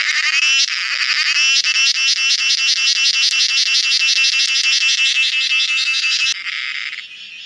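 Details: Cicada, locally named cheeveedu, close and loud: a shrill, rapidly pulsed metallic buzz held for about six seconds, then dropping abruptly to a softer, thinner hiss.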